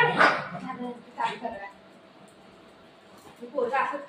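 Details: Pet dogs Buzo and Milo, a golden retriever and a shih tzu, fighting indoors over their owner; a sharp bark opens, then short yips follow, with people talking in Marathi throughout and trying to separate them.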